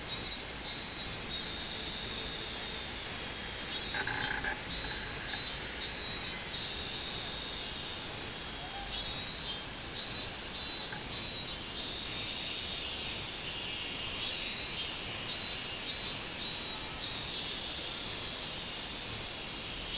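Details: Summer recording of a minmin cicada, 24 July 2016, giving rhythmic runs of loud, pulsing buzzy notes in several bouts separated by short pauses, with a constant high insect hiss behind.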